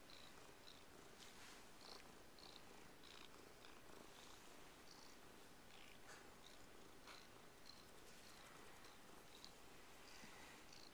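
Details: Indoor white rescue cat, living with two other cats, purring continuously in a low, even rumble, with scattered soft rustles and light clicks over the top.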